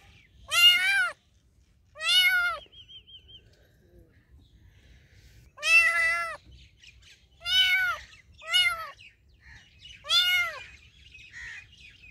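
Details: Pet cat giving a series of six clear, drawn-out meows, each arching up then down in pitch, spaced one to two seconds apart in a quiet room.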